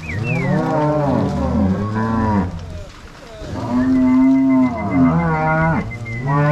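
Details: Crossbred Angus-Nelore cows being driven by three cowboys and six dogs from corral to pasture at Fazenda São Matheus, Ortigueira, Paraná, 16 March 2022; several long, deep overlapping moos, some bending upward at the end, with a higher drawn-out cry near the close.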